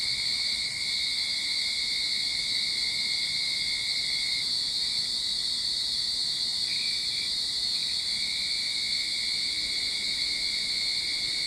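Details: Cicadas in a Sydney backyard at the start of summer fill the air with a steady, shrill, unbroken buzzing drone.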